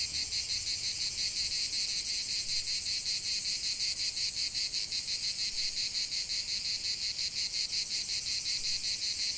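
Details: Cicadas calling in nature, a loud, bright, high buzzing with a rapid rhythmic throb, steady and unbroken for the whole stretch.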